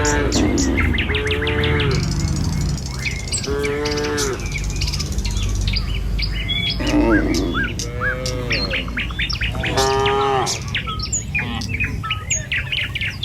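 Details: Tame village cattle in the morning, walking in a line along a village road toward their pen; several short harmonic moos recur through the clip over dense, constant bird chirping and twittering.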